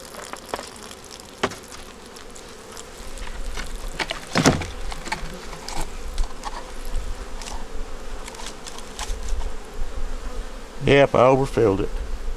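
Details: Honey bees of a nuc struggling through winter, inspected with queen, eggs and brood on top; a steady low hum carries repeated clicks and taps, then a bright, wavering close buzz near eleven seconds.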